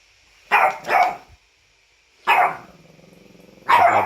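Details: A costumed French bulldog whines and grumbles in short bursts: two quick nasal yelps, a pause with a low rattling snort, then another whining cry, roughly three outbursts in four seconds.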